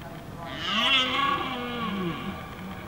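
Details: Red deer during the rutting season in Windsor Great Park, filmed with a Canon T3i/600D and 55-250mm IS lens: one drawn-out, harmonic bellow of about two seconds that swells, arches and sinks, with a breathy, hissing edge.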